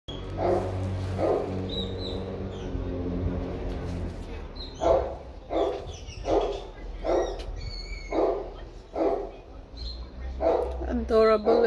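A Pekingese gives a run of short, sharp barks, roughly one every second.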